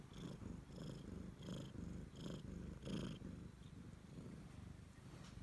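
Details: A pet Siamese cat devoted to its owner purrs loudly, the low throbbing rumble rising in rhythmic surges roughly every three-quarters of a second, each surge with a slightly brighter breathy edge.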